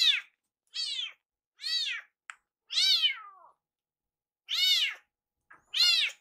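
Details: Iru, a rescued kitten whose cry sounds like "iru iru", meowing loudly around the kitchen to rush a meal; six bright, arched meows roughly a second apart, one short chirp, no other noise.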